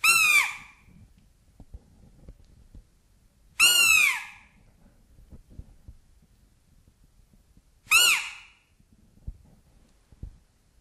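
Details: Roe deer fawn contact call, played back, by which the fawn signals where it is so the mother can find it and the family reunites: three loud, high calls with falling overtones, one about every four seconds, faint low clicks between.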